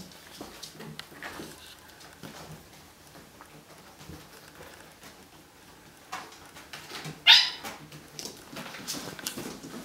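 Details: Bengal kitten among three litters of thirteen kittens, two almost 8 weeks old and eleven 5 weeks old, at Wildrose Bengals; one short, thin, high meow rises near the end over soft clicks, taps and rustling indoors.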